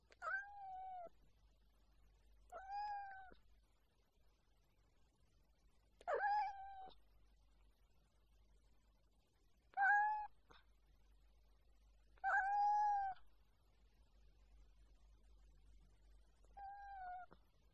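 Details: Domestic cat meowing six times in a quiet room, each meow a drawn-out, wavering, mid-pitched cry lasting about a second, spaced roughly every two to three seconds with silence between.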